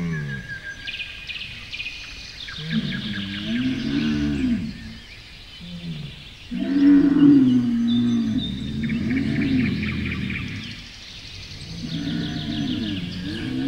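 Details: Camel giving long, wavering, moaning groans that rise and fall in pitch, several drawn-out calls separated by brief pauses, with a faint hiss in the background.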